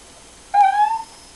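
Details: Short singing note from Poppy, a female schnauzer crooning the blues, a single clear tonal howl held about half a second with a slight upward drift, quiet room behind it.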